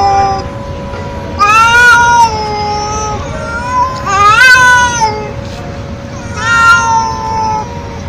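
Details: Stray feral cat meowing loudly: three drawn-out harmonic meows, the middle one wavering and rising, spaced a couple of seconds apart over a constant low hum.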